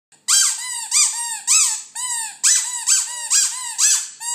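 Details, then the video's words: West Highland White Terrier singing indoors: a rapid series of high, squeaky yelping howls, each bending up then down, repeated about twice a second in short pulsing bursts. "Westie singing"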